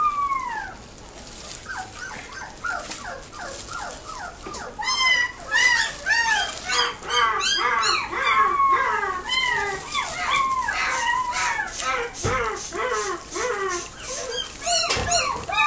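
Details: A Chihuahua at a pet shop in Nagoya gives rapid, high-pitched yips and whines, overlapping in quick bursts.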